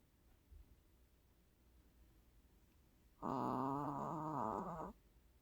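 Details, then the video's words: Sleeping long-haired Chihuahua snoring indoors, a short-nosed dog that always snores heavily: one drawn-out, fluttering, rasping voiced snore of about one and a half seconds after a quiet stretch with faint room noise. "장모치와와 민아의 코골이 영상"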